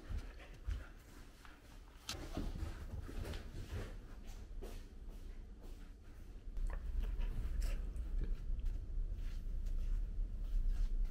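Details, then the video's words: Cardigan Welsh corgi named Totle indoors, eating dog food stuffed inside a kong rubber chew toy; low thuds and knocks of the toy with irregular chewing and rubbery clatter, louder toward the end, with soft faint clicks above. "Cardigan corgi eats his food from kong"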